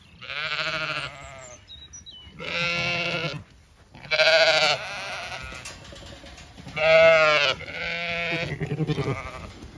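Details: Zwartbles sheep in a blooming orchard on a County Kilkenny farm in Ireland, heard in the evening; loud, harmonically rich bleats come in separate bursts about every one to two seconds, with a faint high chirp early on.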